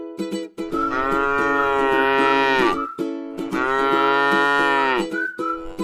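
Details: A tame cow eating grass in a rice field gives two long, level moos of about two seconds each, separated by a short gap, accompanied by strummed string music.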